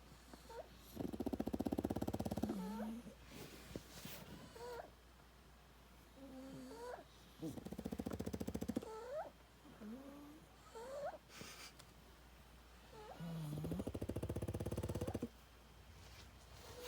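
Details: Pugs in a pack of six dogs sleep soundly on a farm after a morning of trashing the porch and yard. Loud raspy snores swell roughly every six seconds, with thin whistling, squeaky wheezes between them.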